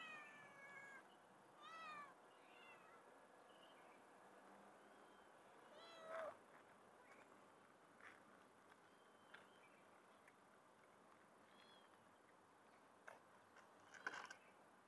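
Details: Street cats, a mother and her kittens, being fed in the city: several short, thin rising-falling kitten mews scattered over a quiet hum of background noise, with a few sharper squeaks near the end.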